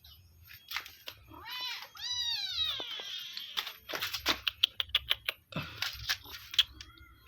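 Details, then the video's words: Village cats at feeding time, a run of arched meows with one long drawn-out cry, followed by rapid sharp crunching and tapping sounds while eating. "Kasih Makan Kucing Kampung"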